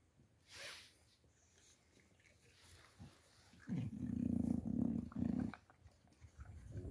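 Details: Boxer dog named Makica, being fed, gives a low, rough growl lasting about two seconds with a steady pitch. Quieter rustling and handling noises come before and after it.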